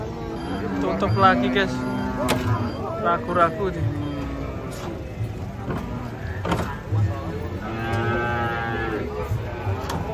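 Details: Restless cattle coming off a truck, part of a large group: overlapping short moos and grunting lows spread through the stretch, mixed with human voices and handling noise.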